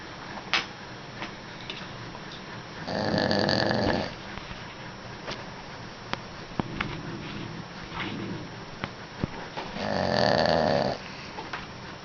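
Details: Sleeping dog snoring indoors, two long, rough, rasping snores about seven seconds apart, each lasting around a second, with quiet room hum and a few faint clicks between breaths.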